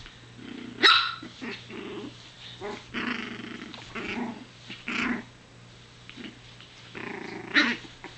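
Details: Playing Chihuahua puppy growling in a string of short, gravelly bursts, broken by a few sharp high yaps, about one sound every second, over a constant low electrical hum.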